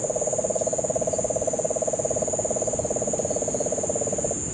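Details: Rapid low pulsing trill of a Puerto Rican crested toad, continuing for over four seconds before stopping, recorded in Guánica Dry Forest, Puerto Rico, during September 2007 rains; a constant shrill insect drone runs above it, and cane toads call in the background.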